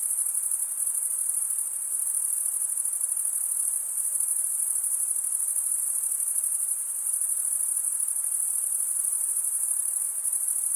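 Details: Crickets keep up an endless high, thin chirring drone, even in loudness from start to finish, over a gentle low-level hiss with no other sounds.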